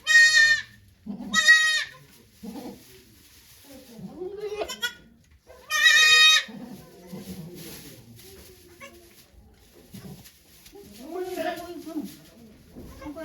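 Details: Goat named Okayu giving birth to two kids at Yoshigake goat farm, Japan, on 3 May 2023, watched by many volunteers; loud harmonic bleats rise and fall in bursts at the start and near six seconds, with softer calls and voices between.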